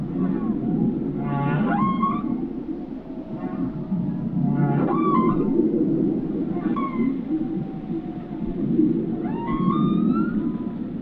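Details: Whale song: repeated rising, harmonic whistled sweeps climbing into a high squeal, returning every few seconds over a steady low rumbling wash of underwater noise.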